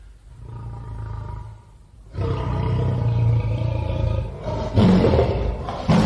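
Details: A tiger gives a deep, rumbling growl that swells into a loud, rough roar.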